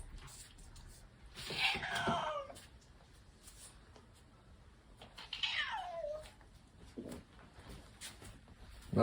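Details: Domestic cat named Odeuli, hoarse-voiced after tooth extraction surgery, kept indoors as a pet: two drawn-out meows that slide downward, near the second and sixth seconds, with quiet human talk in a small room between them.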